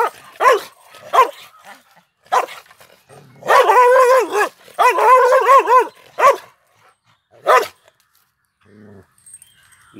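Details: Male Pandikona dog guarding a farmhouse, an aggressive watchdog: loud, clipped barks with ringing harmonics, singly and in short bursts, including two longer drawn-out yelping barks in the middle, then quiet.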